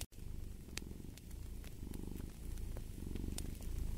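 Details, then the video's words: Close, low purring of a cat, a buzzing rumble that begins after a brief gap and swells in breath-timed surges, with a few faint crackles of fire in the room. "Fall asleep to the Purring of a Cat & Fireplace"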